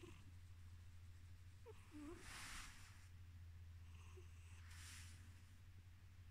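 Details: Drowsy male house cat drifting toward sleep, purring with a steady low rumble; breathy nasal wheezes swell every couple of seconds, with small squeaky nose sounds in between.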